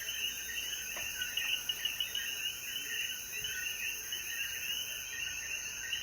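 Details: Chorus of coquíes after the rain at sunset in the Jayuya mountains of Puerto Rico: many frogs chirping at once in a thick overlapping mid-high band, with a constant shrill insect hum behind them.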